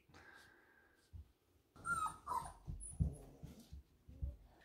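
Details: Four-week-old puppy from Summer and Shadow's litter, held during a puppy update: a thin, steady high whine lasting about a second, then a second brief wavering whine, with soft thumps and handling noises underneath.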